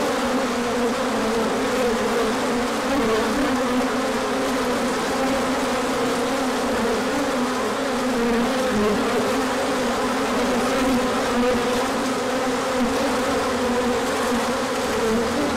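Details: Swarm of bees taking an orientation flight in March 2024 sunshine following colder weather; steady, even hum of countless wingbeats with a low droning band and a fainter higher buzz layered above.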